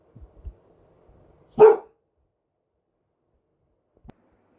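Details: Barley, a 1-year-old Boxer dog barking during the night, gives a single loud, gruff bark that cuts off sharply.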